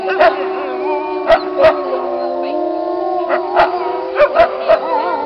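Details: Pack of wolves howling together, several long level howls held at different pitches and layered, punctuated by brief sharp barks or yips at irregular moments.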